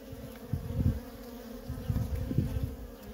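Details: Worker honey bees in nonstop traffic at a feral colony: a steady droning hum with a low and a higher tone, over soft low rumbling thumps that swell and fade.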